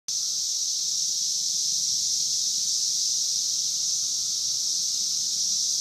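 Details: Brood 17-year Magicicada periodical cicadas in Logan, Ohio, fill the air with a dense, steady, high-pitched hiss-like chorus that never pauses.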